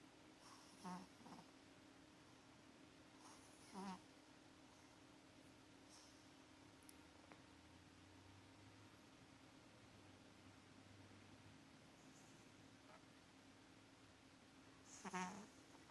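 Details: Sleeping cat Maxi, having sweet dreams, gives loud rasping snorts near the start, again after about four seconds and once more near the end, with quieter breathing and a constant low hum between them.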